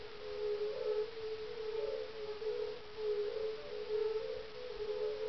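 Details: At dusk on a mild evening of 30 May 2011, a chorus of European fire-bellied toads (Bombina bombina) gives soft, melancholy, low 'oong' mating calls that overlap continuously. They are calling at a small ice-age pond in farmland near Parstein, in the Schorfheide-Chorin reserve northeast of Berlin.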